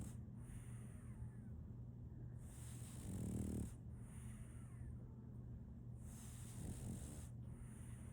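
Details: Asleep and snoring, the French Bulldog puppy Solaimy breathes through about three cycles of hissy inhalation. The strongest is a deep, vibrating snort just past the middle, with softer rasps later.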